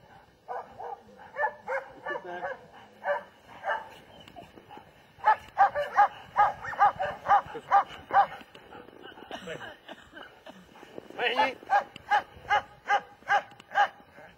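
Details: Repeated barking from a German Shepherd, short sharp barks coming in bursts at about two or three per second with brief lulls between groups.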